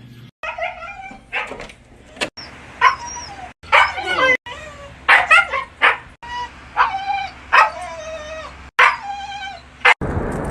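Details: Siberian Husky talking: a run of yodelling, wavering howls and whines with many bending harmonics, broken into short phrases by brief silent cuts, with a burst of noise at the end.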